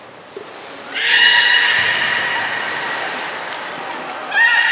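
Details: Young belugas at Port of Nagoya Public Aquarium, Japan, during play time while being moved between pools on 5 November 2017; a long steady tonal whistle with stacked harmonics, starting after a high squeak and rising again at the end.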